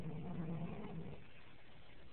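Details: Sleeping pig at a tree farm, found during a 2009 Christmas tree outing, gives a low, rough, rumbling snore lasting about a second before fading into quiet background hiss.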